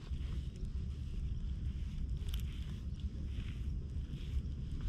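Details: Stray tuxedo (hachiware) cat met on a dry-air day, purring while brushed with a nekojasuri cat comb, filmed on a GoPro: a steady, low, throbbing rumble runs throughout, with faint scratching strokes above it.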